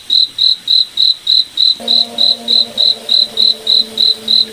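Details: Cricket chirping at night in a moonlit forest: steady high pulsed chirps repeated about three times per second, with a faint low tonal hum entering partway through.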